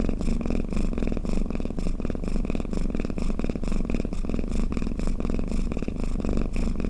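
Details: Cat snoring close up: continuous deep buzzing rumble, finely pulsed, with regular soft surges every fraction of a second and a quiet background.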